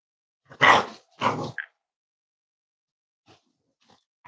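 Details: Cavalier King Charles Spaniel puppies raised as emotional support animals, indoors at home on a warm Friday morning; two short, harsh bark-like bursts in quick succession, followed by near silence broken by faint small noises.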